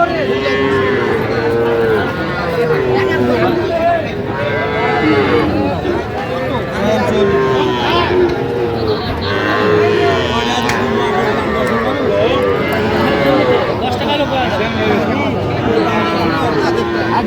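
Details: A crowd of Sahiwal bull calves at a Mymensingh cattle market in Bangladesh, 11 October 2025, lowing almost without pause. Overlapping, mid-pitched, wavering moos repeat every second or two beneath a steady hum of voices.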